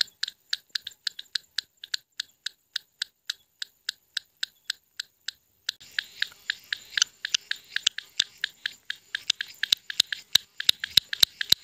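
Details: Indian frog calling at night around nine o'clock in light drizzle: sharp dry clicks repeated steadily about three times a second, then a hissy background after six seconds as the clicks grow denser and more uneven.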